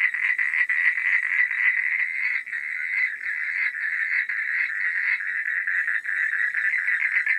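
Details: Frogs calling at night in a dense chorus of rapid, overlapping rasping pulses that merge into a steady, fairly high buzzing wall of sound, with only brief dips in loudness.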